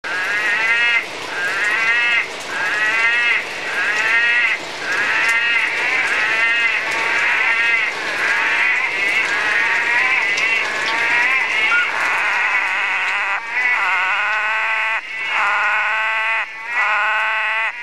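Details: Orange-thighed frog calling south of Atherton, far north Queensland: loud, nasal, bleating notes with stacked harmonics, each lasting about a second, repeated nearly once a second, sometimes overlapping as more than one caller joins in.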